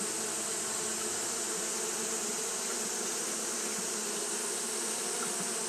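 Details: Hot-day fanning by Japanese honey bees fills the recording with a constant, many-winged buzzing hum in stacked low tones, over an unchanging high hiss.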